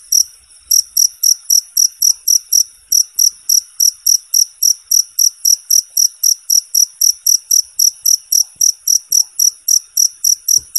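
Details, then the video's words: Cricket chirping clean and clear, used as a training sound for competition songbirds; loud high-pitched pulsed chirps repeated about four times a second, with a brief pause near the three-second mark, steady and dominant over a quiet background. "suara jangkrik bersih dan jernih"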